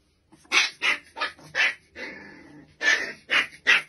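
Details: A Rottweiler puppy gives a string of high, yappy barks with a drawn-out whine in the middle.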